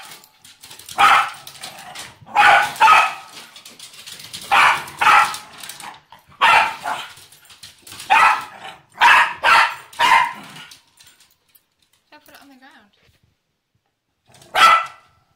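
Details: Nibbs, a female Pembroke Welsh Corgi, whines for her favorite laser pointer, a habit she repeats all the time. About ten strained, pitched whines come in uneven bursts over ten seconds, then a pause before one final whine.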